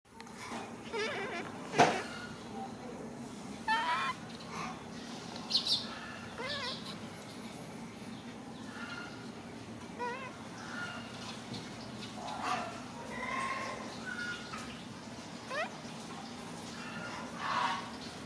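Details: Macaque crying while hugging his favourite food package: short, high, squealing cries and whimpers come in scattered bursts, some rising and falling, over a steady low hum.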